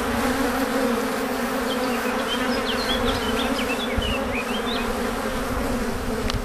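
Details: Swarm of honey bees arriving at their hive after foraging for nectar and pollen, an unbroken, deafening hum with deep droning bands and brief high bird twitters in the middle, ending with a sharp click.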